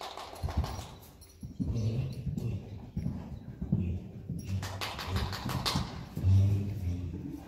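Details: Friesian horse Bauke, a Maurits x Rindert stallion line, playing in an indoor arena in the Netherlands in 2019; low irregular grunting rumbles and thumps, with bursts of broad noisy snorting and movement sounds throughout.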